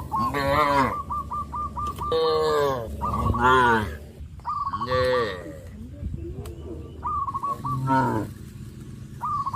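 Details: Tame village cattle in a herd call their companions with a close, continuous series of loud, rich, bending moos, one after another. Short pulsed bird trills sound between them over a low hum.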